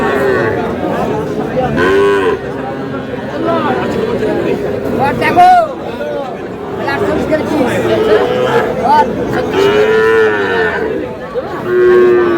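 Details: Cattle at a market in Dhaka, Bangladesh, where small bulls and heifer calves are being sold; several drawn-out, tonal moos rise and fall over steady crowd chatter, with men talking and bargaining throughout.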